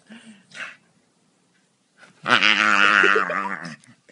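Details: Staffordshire Bull Terrier, a male, at play during a belly rub: faint snuffles and a quiet gap, then one loud, sustained, wobbling growl-moan lasting about a second and a half.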